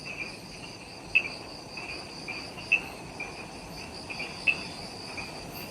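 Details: Insects in Ishigaki Island's forest at twilight after sunset, Okinawa: constant high whirring drone with isolated bright chirps spaced about one and a half seconds apart.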